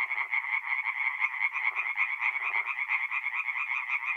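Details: Tree frogs singing at night in a forest pond in north-east Italy in mid-April: a dense chorus of rapid, raspy pulsed croaks overlapping continuously, with brief lower grunting notes from time to time.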